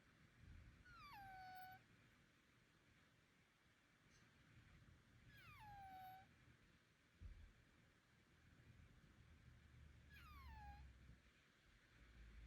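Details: Bengal cat making odd sounds that its worried owner suspects come from illness, a blocked nose or allergy. Three sliding, downward-bending mewing calls come about four seconds apart against a quiet room murmur.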